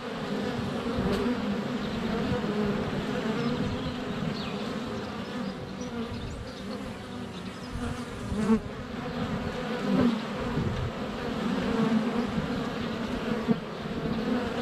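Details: Steady droning hum of many honey bees flying around a hive entrance on a sunny February day, GoPro Hero 7 Black within a foot; occasional louder passes and clicks where bees touch the camera.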